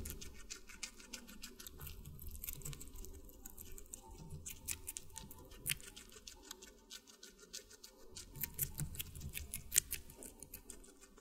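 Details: Close, crisp crunching and clicking as a guinea pig chews watermelon, in bursts of quick bites with short pauses between.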